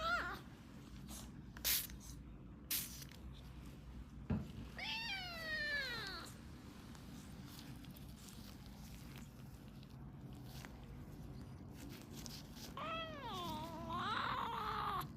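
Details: Wavering, plaintive meows from a two-month-old British Shorthair kitten suffering a viral infection of eyes and ears, heard during gentle ear cleaning; two long complaining cries with clicks and handling noises between.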